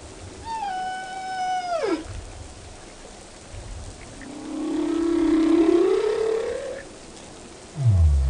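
A whale sings a clear, harmonic tone that holds, then slides sharply down, followed by a long, rising moan.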